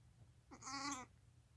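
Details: Newborn lamb less than five hours old, crying while walking and nursing beside its mother: one short, high, tonal bleat lasting about half a second, rich in harmonics, rising slightly then holding steady, over a quiet low hum.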